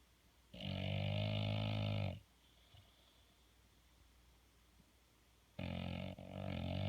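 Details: Bulldog asleep, giving deep, rasping, drawn-out snores: one steady buzzy rumble of about one and a half seconds, a quiet pause with soft breathing, then another rough snore that briefly breaks and resumes.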